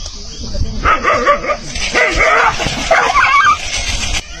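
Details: Dog barking at a tiger before the two begin to fight; rough, repeated barks in bursts over a noisy background with some music and voices.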